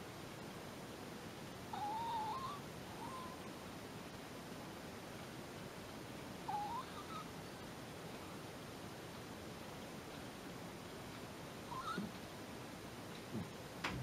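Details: Shiba Inu named Kyunosuke asleep on a sofa, snoring within seconds of climbing on. Faint squeaky whistles rise and fall with each breath, returning about every five seconds over a steady background hiss.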